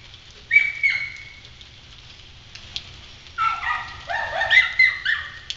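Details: Upset kennel dogs on Galla Creek reacting to an intruder in the yard: a high drawn-out yelp, a long pause, then a rapid cluster of overlapping barks from several dogs, low hum throughout.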